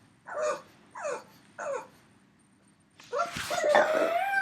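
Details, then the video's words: Three-year-old pug Yoda, missing his canine friend who went for a run, gives three separate falling whines about half a second apart, then a longer, louder drawn-out moaning whine indoors. "Funny Pug Noises"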